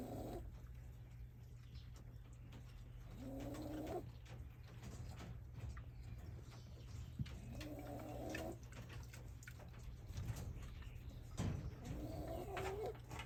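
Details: Shiba Inu puppy born 30 August 2023, the offspring of a dog named Yuki, sleeping and snoring like an old man: low, rasping breath-noises return roughly every four seconds, three in all, over a steady low hum.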